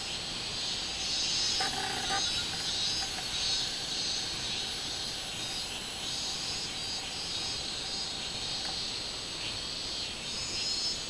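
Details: Shrill drone of a robust cicada on 24 July 2016, steady and high, its uppermost layer pulsing about 100 times a minute; a couple of short lower tones break in near the start.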